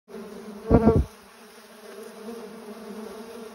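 The low, even hum of a mandaçaia stingless bee runs throughout, a buzzy drone with a clear tonal pitch. Near the first second it rises into a short, louder burst before settling back to a quieter steady buzz.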